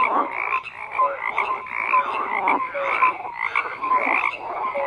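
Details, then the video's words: Crowded frog chorus of rasping, pulsed croaks swelling roughly once a second, with clear short piping notes repeating among them. "FROGS CROAKING"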